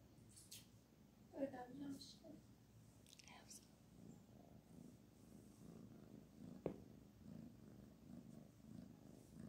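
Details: Kitten purring while being petted indoors, a steady low rumble running under the whole recording, with soft human speech and a few brief rustles and clicks on top.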